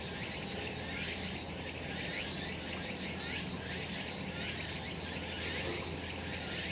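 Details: Cicadas on a sunny summer mountain give a continuous high buzzing chorus that swells gently in waves, with rapid pulsing ripples throughout and a faint low background drone.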